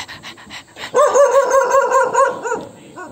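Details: ['Dog angered by an annoying sound, bursting into a rapid, fairly irregular run of high, yelping barks, about two and a half per second, after a softer start, then tapering off.']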